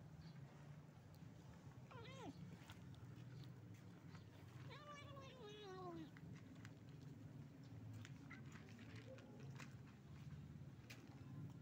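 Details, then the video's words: Street-dwelling stray cat calling its companions to food: two clear meows, the first short and falling, the second longer with a wavering, quavering fall, over a low steady rumble and scattered clicks. "This stray cat calls its friends for food"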